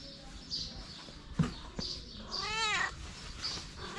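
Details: Hungry kitten playing beside its mother cat gives one drawn-out, arching meow that rises then falls, over a background of soft scuffles, sharp clicks and faint high chirping.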